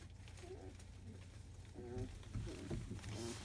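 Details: Squirming field-line Labrador Retriever pups, 23 days old, after morning nursing, make short, choppy whimpers and squeaks in quick succession, several overlapping, with a low background hum.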